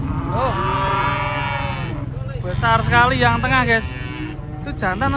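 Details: Huge cattle being unloaded from a truck one morning: a sustained, even moo lasting about two seconds, then bursts of shouted human voices, with a continuous low engine drone underneath.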